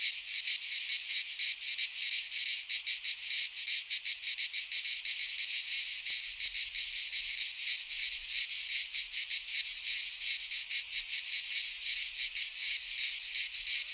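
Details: In a midsummer Greek pine forest, cicadas keep up a constant piercing buzz, rapidly pulsating and uniform in loudness, the only sound present.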